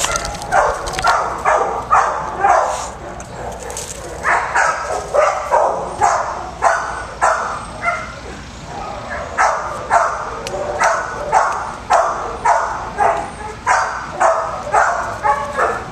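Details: Lilly, a Shiba Inu awaiting adoption, recorded 10/12/2010, barking in a steady series of sharp, mid-pitched barks, roughly two per second, with brief pauses between bursts and faint voices in the background.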